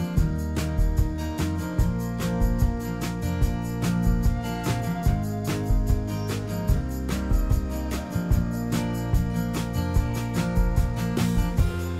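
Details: Strummed guitar music with a steady country-style beat fills the whole stretch, with no animal voice heard.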